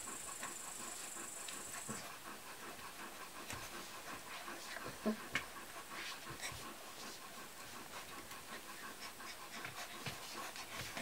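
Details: Kuvasz puppies, 38 days old, recorded 21 July 2014, a litter of Armani Niclas vom Crystal Diamonds and Arika Majna-menti Mákvirág; soft rapid panting and snuffling breaths with a brief faint whimper midway, over a steady background hiss.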